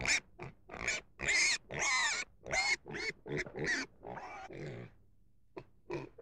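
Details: Domestic pig giving a run of short, high, harsh squeals and squeaky grunts in quick irregular bursts, some brief tonal whines, with short pauses and a few faint final squeaks.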